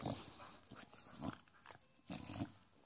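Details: Male English bulldog making a weird sound while licking his paws, a noise he always makes when enthusiastic; snuffly, snorting grunts in short bursts, with louder noisy bursts near the start, middle and end, indoors.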